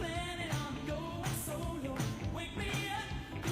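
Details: Upbeat pop music with a sung vocal line and a driving beat fills the whole stretch, and no animal sound comes through.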